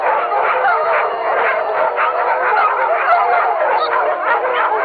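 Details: Pack of dogs howling together, a dense chorus of many overlapping wavering voices held without a break for the whole stretch.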